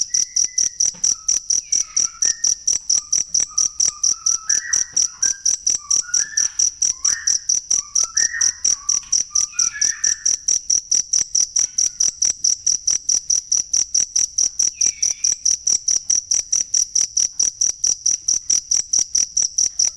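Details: Cricket (jangkrik) recorded as masteran training sound for songbirds: a steady, high, rapid pulsed chirping that never stops, with a cluster of softer whistled bird notes in the middle and a few later.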